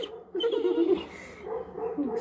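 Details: A Weimaraner whines in two drawn-out, wavering bursts, wanting to be let outside; recorded October 27, 2022.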